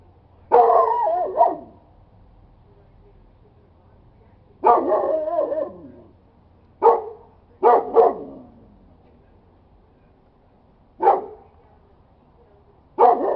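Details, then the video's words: Dog barking: loud, rough single and double barks separated by pauses of one to three seconds, about seven outbursts over a quiet background. "Dog Barking Howling"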